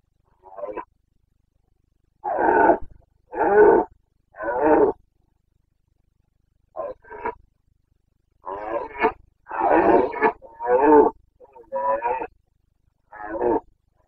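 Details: Carpathian red deer stag in rut, Bucovina mountains, on 29 September 2022, delivers a series of about a dozen short, throaty roars and grunts. They come in uneven bursts roughly every second, loudest in a rapid run midway.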